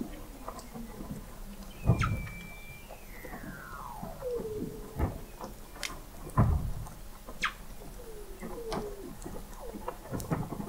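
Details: Weddell seals in the frozen Southern Ocean beneath McMurdo Sound sea ice, November 2017, via the McMurdo Oceanographic Observatory 21 m down: a short flat high whistle, then a descending glide ending in a wavering note, among scattered low thuds and clicks.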